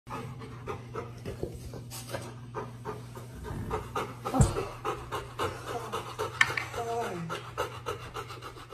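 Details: Golden Retriever panting while trying to join a hug, breathy pulses repeating in quick steady rhythm throughout, over a constant low hum with faint voices in the background.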